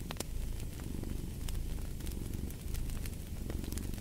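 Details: A domestic cat purring, a low steady rumble that swells and eases in soft cycles, laid over the crackle and sharp pops of a fireplace fire.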